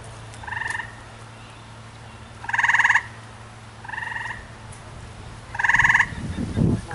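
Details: Two tree frogs on neighbouring trees calling back and forth: short pulsed trills alternate, louder and softer, roughly every one and a half seconds, with rustling noise at the end.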